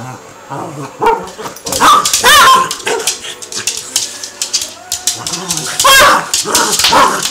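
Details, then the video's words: Play fight between Cavalier King Charles Spaniels Harvey and Sam, lasting about an hour, both unhurt: loud snarling barks and growls in bursts, high whines, and scuffling paws and clicks on the floor. "Harvey and Sam, Cavalier King Charles Spaniels play fighitng"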